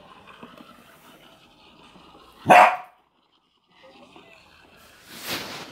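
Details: Corgi puppy at play with a hamster in a ball; one loud bark, then a softer noisy burst near the end, over faint background voices and hum.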